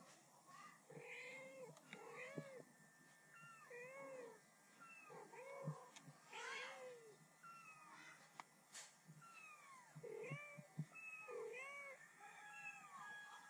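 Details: Mother cat and kitten talking back and forth in a rapid run of arched, rising-falling meows and high thin mews, several overlapping, coming every second or so against a quiet background.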